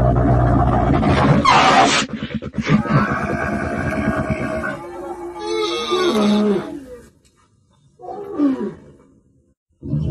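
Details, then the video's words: Camel giving loud, gurgling roars and rumbling groans with rich harmonics, bursts lasting a few seconds separated by brief silent gaps. "Deve sesi/Kamel-Sound/Camel sound/Dəvə səsi/Son de chameau/صوت الجمل"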